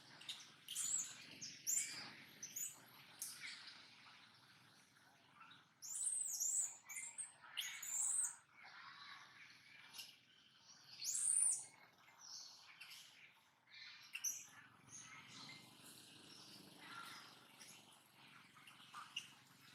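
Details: Monkey named Brady, filmed in daily life, keeps making an unexplained noise: clusters of shrill, high squeaks and chirps in irregular bursts, several loud runs early on, fainter later over a quiet hiss.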